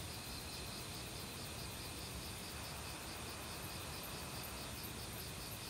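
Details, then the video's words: Forest crickets in autumn, mixed with other insects, chirp in rapid pulsed trains at two high pitches over a constant whining tone, all set against loud, steady stream water. "가을 귀뚜라미 소리"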